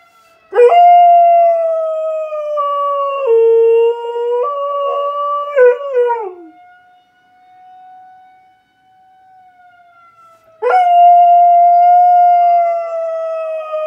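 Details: Pet dog Leia howling at a tornado siren during testing: long, loud, mournful howls with stepped pitch changes and a cracking, wavering finish. The faint steady wail of the siren fills a pause before another strong sustained howl begins.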